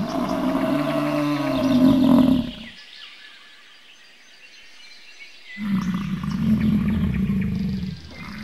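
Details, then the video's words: Bison bellows in drawn-out, throaty, growling roars. One heavy roar fades out after two and a half seconds, then a near-silent pause of about three seconds follows before another long, rumbling roar begins. "Bison sounds"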